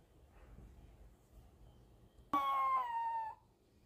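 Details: Four-month-old Pomeranian puppy Mel, a female German Spitz, howling while being taught by her mother: one high, clear wail of about a second, sliding gently downward, over near-silence.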